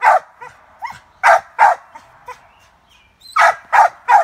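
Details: Cur puppy in squirrel training, barking at a squirrel held in a cage: loud, clipped barks in two bursts separated by a short pause, with faint yips in between.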